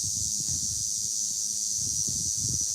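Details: At a cabin by Lake Toya, Hokkaido, Japan, a steady, high, hissing chorus of Japanese cicadas (semi) rings on without a break, with a low bumble bee buzz beneath.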